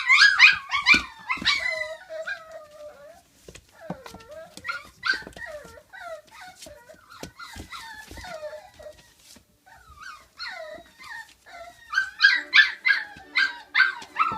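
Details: Five-week-old puppies, a litter of girls and two boys from the dam Flute, give high harmonic yelps and wavering whines, bursts of overlapping cries at start and end with quieter whimpers and some clicks between.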